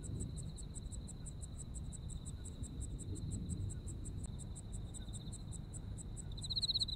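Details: Japan in autumn, insects singing: a steady high whine and a quick string of pulsed chirps continue throughout. A louder buzzing trill rises at the very end over low, even background noise.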